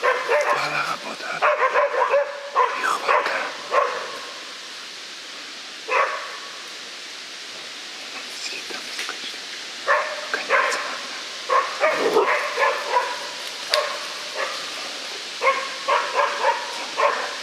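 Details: West Siberian Laikas, females about seven and ten months old, barking at a big boar during a hunt in Udmurtia; bursts of clear, high yelping barks separated by a long pause, then rapid strings of barks resume.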